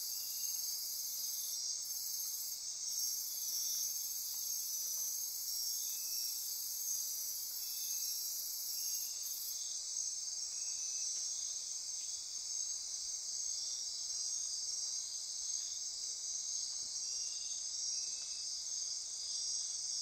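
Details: Midnight insect chorus in Costa Rica rainforest near Corcovado National Park, Osa Peninsula: a dense, continuous high-pitched band of trilling and buzzing insects, with faint pulsing notes lower down and brief bursts at the very top.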